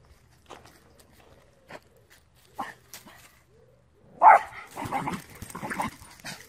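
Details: Small male Terrier-Pug mix dog from Romania, angry after spotting a squirrel; quiet scuffling gives way to one loud sharp bark followed by a burst of rough, agitated barking and growly noise.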